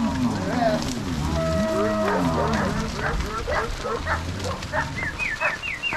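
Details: Crossbred Angus-Nelore cows driven by three cowboys and six dogs from corral to pasture, Ortigueira, Paraná, Brazil, 16 March 2022; overlapping low drawn-out moos from several cattle, mixed with sharp dog yips and barks and rising calls near the end.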